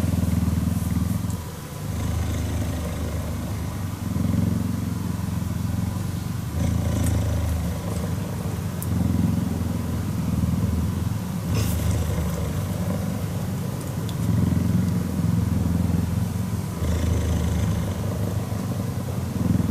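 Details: Cheetah cuddling and purring: a deep rumbling purr in alternating phases, roughly every two to three seconds as it breathes in and out, with brief soft clicks and rustles between.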